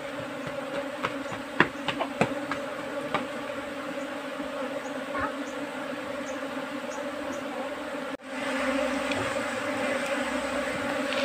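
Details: Honeybee colony settled in a trap box during beekeeping, a steady dense buzzing hum with occasional louder passing buzzes of individual bees and brief clicks, a sudden drop near eight seconds before the hum resumes.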